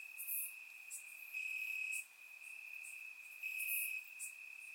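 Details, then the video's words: Surround recording of crickets chirping in grass on a warm Bulgarian summer night: a continuous piercing trill that swells and drops, with brief sharp high pulses from nearby insects. "Cricket Sounds - Crickets Chirping at Night"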